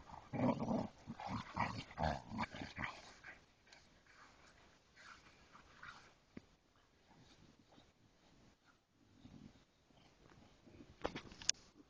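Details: Ridgeback and Boxers playing indoors: a run of rough, harmonic growls and whines over the first three seconds, then quieter scuffling and panting with occasional sharp knocks.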